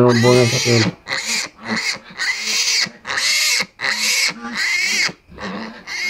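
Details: Pigs during a sow's pre-dawn birth: one long harmonic squeal opening, then a run of harsh squeals about every half second with short quiet gaps.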